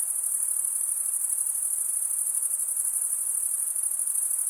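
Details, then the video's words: Crickets, males stridulating by rubbing one wing along the toothed vein of the other, fill the air with a dense, steady high-pitched trill, continuous without pauses; faint soft hiss lies beneath. "Most relaxing cricket sound"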